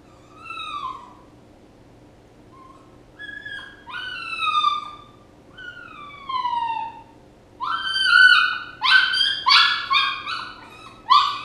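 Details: A puppy whines in high, descending cries spaced a couple of seconds apart, building toward the end into rapid, louder, choppy yelping whimpers; low constant hum underneath.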